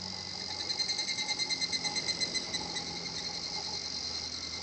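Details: Higurashi cicada singing at Shinhotchian, a quiet natural spot: a rapid, high, pulsing kana-kana-kana series of about two seconds that fades out, over a steady high insect hum and a faint low drone.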